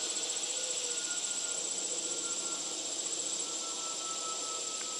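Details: Constant cicada buzzing, a bright, high, continuous hiss with a sharp ringing tone above it, while a thin steady hum slowly drifts lower across the background before the sound cuts off.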